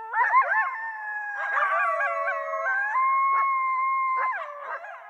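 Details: Coyote vocalizing: wavering, yodel-like howls with quick pitch breaks and bursts of yipping, sliding between higher and lower tones, with a sustained level note near the end, giving a continuous overlapping chorus.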